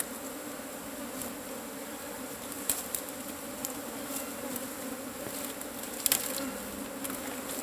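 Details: Continuous droning buzz of cavity-nesting Asian honey bees while their hive is harvested, a dense even hum broken by occasional sharp knocks and rustles.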